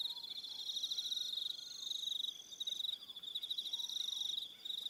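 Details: High, rapidly pulsed cricket trilling at evening on New Zealand's Aroha Island, several callers overlapping, plus thin sliding whistles faintly beneath the chorus.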